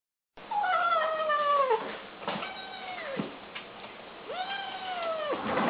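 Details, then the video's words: Kittens making funny noises while eating; drawn-out, downward-sliding meowing cries of about a second each, three in a row with short gaps, over soft crackling background noise. "Kittens Make Funny Noises While Eating"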